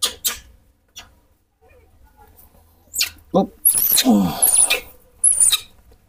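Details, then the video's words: Moni, a rescued baby monkey, screams loudly and emotionally as milk and food are served: several shrill, very high squeals with wavering rising-falling contours in quick succession late in the moment, amid a man's speech and indoor clatter. "Full of emo_tion, Moni always scre-ams lou_dly when her father serves milk and food"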